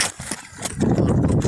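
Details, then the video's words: A stallion on the hunt: after a few sharp clicks, a steady low throaty rumble swells and holds for the last half of the moment, loud and close. "Жеребец вышел на охоту"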